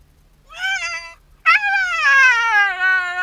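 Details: Shiba Inu dog left alone indoors as its owner steps out on an errand, giving long tonal crying whines, a short rising cry followed by a sustained wavering wail that slowly falls.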